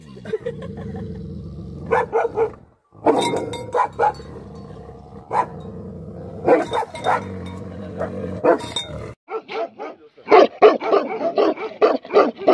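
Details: Angry Tibetan Mastiffs, known locally as Bhote Kukur, bark in bursts of loud, deep woofs, with short runs of quicker barks near the end over a steady low hum.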